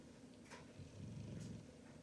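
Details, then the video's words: Pit Bull sound asleep, snoring while enjoying an early Christmas gift; low rumbling breaths swell and fade across two seconds, with a faint higher rasp near the middle. "Pitbull sound asleep SNORING!!"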